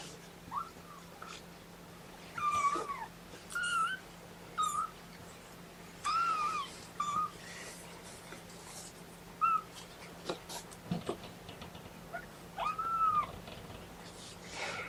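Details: Kittens from a litter of three boys and one girl object to being pottied before weighing, giving a run of short, high, bent mews, about one every second or two, with brief pauses and faint rustling between them.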